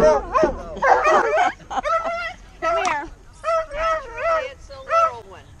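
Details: Tonka, a male Alaskan Malamute, excitedly greets old friends unseen for about a year: a run of wavering, yodel-like harmonic moans and woos, each bending up and down, in bursts roughly a second apart.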